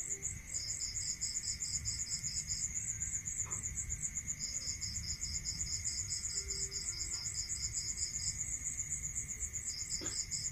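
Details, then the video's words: Crickets calling at night in a rural area: a steady high, rapid pulsed trill runs throughout, joined at intervals by a second, slightly lower pulsed chirping series, over a faint constant tone and low background rumble. "Listening to Cricket Sound Natural meditation music"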